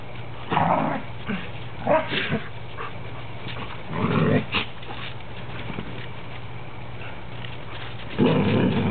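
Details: Three standard poodles playing together indoors, a cream, a black and a parti-coloured dog; low rumbling growls come in bursts, a long one near the middle and another at the end, with a steady background hum.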